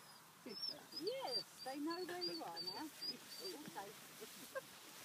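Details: A female gray wolf on a walk in Bedfordshire howls in wavering, sliding tones, telling her sister she is okay and just going for a walk, with a person talking nearby.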